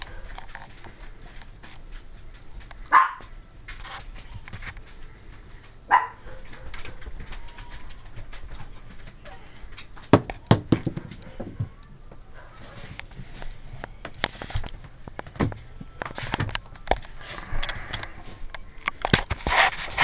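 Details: Ivory, a 12-week-old cream and white female Pomeranian puppy, breaks her silence after playing with miniature tennis balls on noticing a Dora the Explorer doll in a closet: sharp, scattered yaps and short bursts, denser toward the end, amid indoor rustling.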